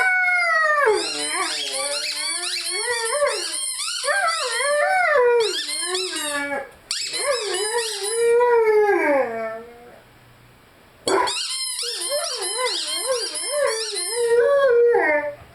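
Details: Lyle, a Rhodesian Ridgeback, sings with his favorite squeaky toy, long wobbling howls rising and falling in pitch, broken by short pauses and a silent gap near ten seconds, with bright squeaks mixed in.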